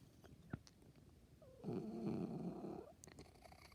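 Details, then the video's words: House cat giving a strange noise: a single rough, rumbling trill over a second long that starts with a brief rising tone, between sharp clicks. "MY CAT MAKES STRANGE NOISES"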